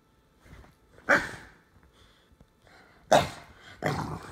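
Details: A Jack Russell Terrier mix and an English Bulldog play-fighting; quiet shuffling, then sharp, loud single barks at about one, three and nearly four seconds, separated by brief pauses.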